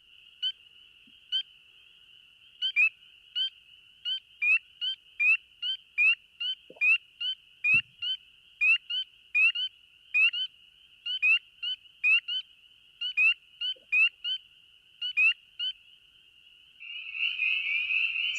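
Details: A continuous spring peeper chorus (call index three) in the Chicago Wilderness region gives shrill, rising peeps over a steady high ringing, ending in a raspy territorial trill, like a chorus frog with a sore throat.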